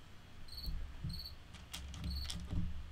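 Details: A cricket inside a studio chirps indoors in short, high, pure-toned bursts, with clicks and a low room rumble.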